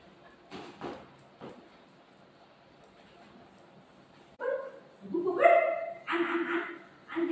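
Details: Golden retriever dog, afraid of a balloon while playing with its owner: a few soft muffled sounds early, then from the fourth second loud harmonic barks and whining yelps rising and falling in quick succession, voices faintly mixed in.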